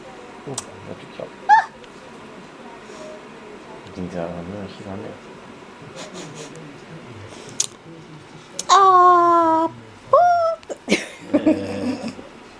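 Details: A male miniature dachshund, seemingly sleepy, whines in drawn-out, falling cries, wanting another dachshund to play with, eight days before a new one arrives.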